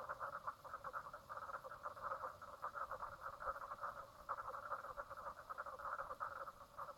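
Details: Frogs at Brown Lake, Stradbroke Island, Queensland, Australia, 04/03/2017, 10:55am, give a clear chorus of fast rhythmic croaking pulses in waves, one brief lull near four seconds, little background noise.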